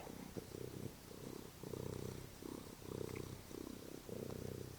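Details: Domestic cat purring while lying on a couch before dinner; low, rumbling purr in steady pulses, each breath cycle lasting about a second, rising and falling continuously with faint room noise.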